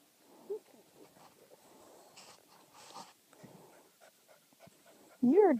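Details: Summer puppies Hans and Sue at Dew Claw Kennel with their mother Bedbug; soft snuffles and quiet murmuring, then a loud wavering puppy whine rising and falling at the very end, with a person's voice nearby.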